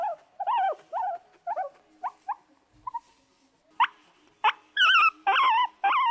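A guinea pig gives a run of short, whistled squeaks that grow louder and shriller toward the end.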